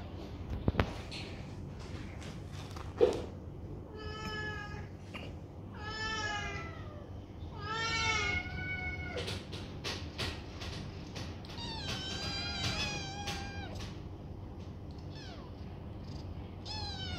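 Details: Rescue foster kittens at play in their new banana bed; after a few sharp knocks, a run of bright wavering meows builds in the middle and a fast cluster sounds near the end, separated by clicks and rustles in a small room.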